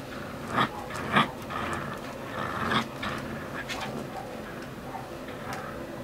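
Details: Shasta, a husky puppy, playing tug of war: short harsh bursts of growly yips, three strong ones in the first three seconds, then softer rumbling and scuffling noise.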